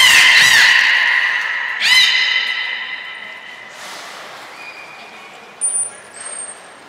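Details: Belugas at Port of Nagoya Public Aquarium, Japan, recorded 23 February 2021 while the whales Hodoi, Taanya and Mirai moved pools and trained; loud rich harmonic squeals fade out, followed by brief piercing high whistles amid echoing room ambience.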